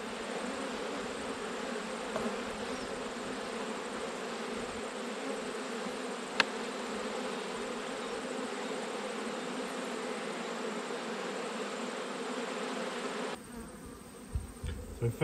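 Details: Honey bees humming steadily during an autumn hive inspection, a continuous low droning buzz with even loudness, a brief click near the middle, the hum dropping away abruptly near the end.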